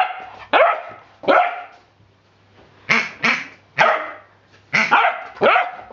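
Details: A playful 10-week-old Rhodesian Ridgeback puppy named Hubby tussles with his new rubber pig and lets out seven bright, yappy barks, some single and some in quick pairs, separated by short quiet gaps.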